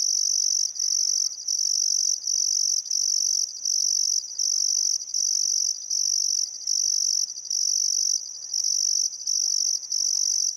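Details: Crickets chirping by the Barcoo River at sunset in Welford National Park, Outback Queensland, Australia, on a still summer afternoon, a steady high-pitched trill in repeated bursts with short gaps, plus faint thin bird whistles.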